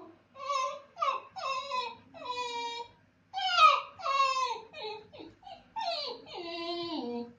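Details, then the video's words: Basenji howling while its owner is away: a series of wavering, yodel-like tonal cries with rich harmonics, each sliding downward and lasting about a second, repeated with short breaks in a quiet room. "When Master is gone howling basenji"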